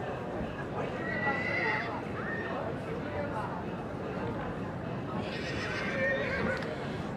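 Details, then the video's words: Young Welsh Cob foals whinnying: a wavering, harmonic call near the start and another longer, trembling one toward the end, over a steady background hum and murmuring voices. "Cobiau Cymreig Ebolion Ifanc | Welsh Cobs Foals"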